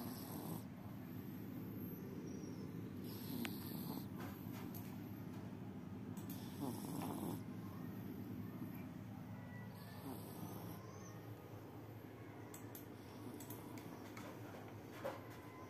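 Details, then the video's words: Sleeping cat snoring: a steady, soft, rasping breath sound continues throughout. Faint hiss and a few small clicks sit in the background. "They are so cute when they snore"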